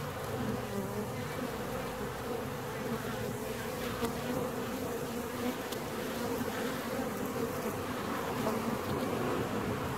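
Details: Inside a split honey bee hive, 17 days on: an even, thick buzz of many bees that holds level throughout, with a couple of brief ticks.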